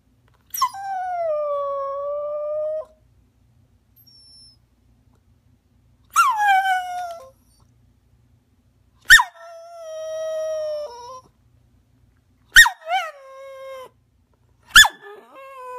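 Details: Small rat terrier whining to be allowed onto a sofa: long high drawn-out whines, each sliding downward and lasting up to two seconds, come in about five bouts. Several open with a sharp yelp, with short pauses between.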